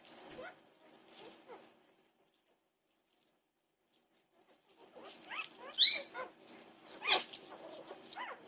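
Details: Norwegian Buhund puppies awake at 2:30 am, June 8, 2021: a few soft whimpers, a silent pause of about three seconds, then shrill rising-and-falling yelps return, the loudest a sharp high squeal.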